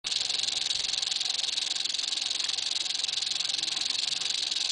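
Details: Eastern diamondback rattlesnake rattling its tail: a steady, dry, high buzzing hiss with a fast fine pulse that holds constant and unbroken through the whole stretch.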